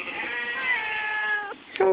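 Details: On a farm with sheep nearby, the Whiny Cat, a friendly female barn cat, holds a long complaining meow for about a second and a half, then adds a short sharp call as a person chats back.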